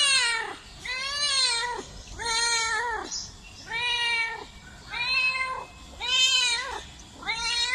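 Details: Meowing cat producing six bowed, tonal meows about one every 1.3 seconds, each swelling up and falling away in pitch, fairly clean with little background sound.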